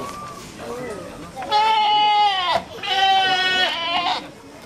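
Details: Young goat kid at Aso Milk Farm, Japan, full of energy, bleating twice in a row, each call long, nasal and quavering, with soft voices behind.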